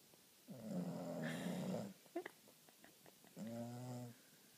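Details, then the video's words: A female Boston Terrier, fast asleep, snores loudly, with long rumbling breaths and small snorts between them. "Ziggie-the Boston Terrier, snoring like a freight train"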